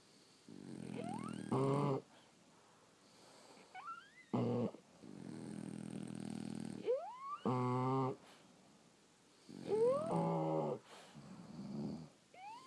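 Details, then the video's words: Several sleeping French Bulldogs snore in rasping, droning bursts every two to three seconds. Rising, whistle-like squeaks sit on top of the breaths, with quiet pauses between them. "Snoring French Bulldogs"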